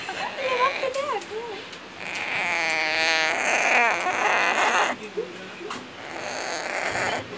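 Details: An orphaned, hand-raised baby Bolivian red howler monkey (Alouatta sara) at a wildlife refuge gives squeaky, quavering cries with rapid pulsing, mixed with a person speaking Spanish.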